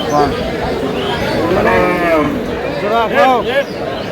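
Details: Cows with calves for sale at Aftabganj haat, Dinajpur, on July 18, 2026. Short arched lowing calls come near the end, the loudest a quick pair, over constant market talk and haggling.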